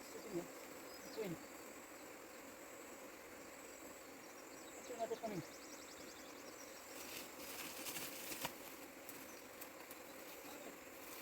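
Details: Honey bees in Nepal, moved by a beekeeper from the forest into a hive box; a steady, dense buzzing hum continues throughout, with a few short sliding chirps early on and brief rustling, voice-like noise near the end.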